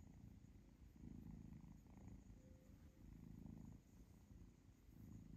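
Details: Purring of the kitten Zlata as her owner pets her, a pleasure purr during play where she tastes and bites fingers; low throbbing rumble rising and falling in breath cycles about every second.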